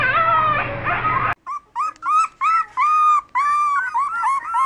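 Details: Young puppy howling: an opening stretch of strained, wavering howl over a low hum, then a run of short, clipped howling notes about every half second, each with a slight rise and fall.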